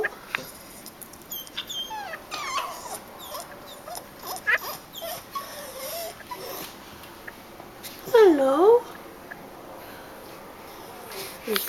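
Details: American Pit Bull Terrier puppy whining at 6 in the morning to wake its owner, giving a quick dipping-and-rising whimper between a woman's soft talk to it, with rustling and small squeaks.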